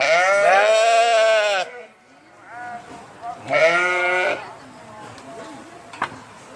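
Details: Two strong wavering bleats from a sheep, the first long and the second shorter, then quieter background with a faint click.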